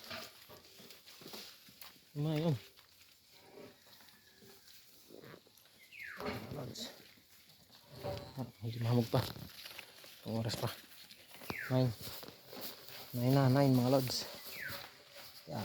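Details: Kept goats bleating as they are let out on a misty morning around nine o'clock: several loud, wavering, tremulous bleats with stacked harmonics at irregular intervals, a man talking in Filipino between calls, and faint rural background noise.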